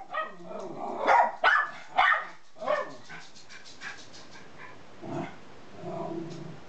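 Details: Two Miniature Schnauzers at home, George (red collar) barking high-pitched and Ralphy making bumbling grumbles; irregular sharp yaps of varying loudness give way to softer, lower rumbling grumbles toward the end.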